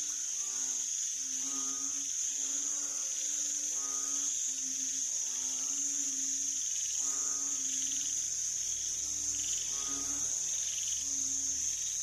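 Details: Banded bullfrog calling on 18 September 2023: low, droning, nasal moans rich in harmonics, each about a second long, repeated about eight times in twelve seconds over loud, continuous high-pitched insect trilling.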